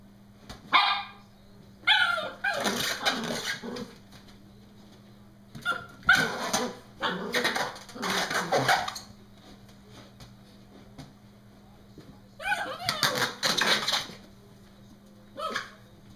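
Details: Norfolk Terrier named Brody shrieking at his balloon during play: three clusters of loud, harsh, high-pitched yelps and barks, each lasting one to three seconds, separated by quiet pauses over a constant low hum.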